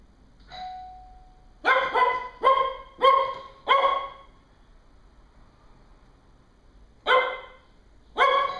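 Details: Female Cocker Spaniel wearing a bark correction collar reacts to the doorbell: a chime, then four quick harsh barks in about two seconds, a pause, and two more barks near the end.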